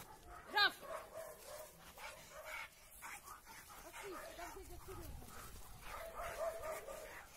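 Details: Two Labrador Retriever brothers, Oskar and Graf, from the same litter but raised in different families, reunite after a long time apart and play. One sharp, loud bark rings out early, then a person talks over faint dog noises.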